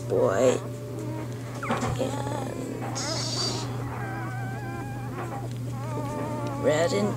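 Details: Bernese Mountain Dog puppies during their first few days after birth to their mother Bear. Drawn-out, wavering whines and squeaks overlap across the litter, with soft rustling and a steady background hum.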